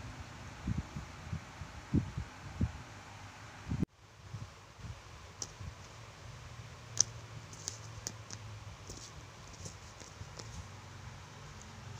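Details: Indoors, soft thumps and scattered clicks come from play and movement, with a sudden cut partway through and a low fan-like hum; no animal voice is heard.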